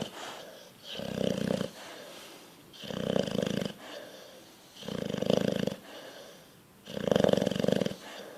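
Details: A bulldog fast asleep and dreaming snores in four rasping, throaty pulses about two seconds apart. Quieter breathing fills the gaps between them.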